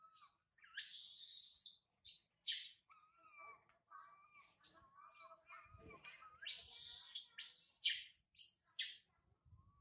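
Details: Sario, a baby monkey left by her mother Sarah, cries from a high tree. Loud piercing screams come in bursts of about a second, linked by quieter wavering moans.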